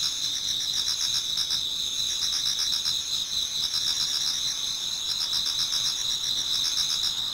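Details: Several autumn insects sing in a Japanese garden toward dawn; shrill sustained ringing mixes with pulsing trills in bursts of about a second and quick faint chirps in between.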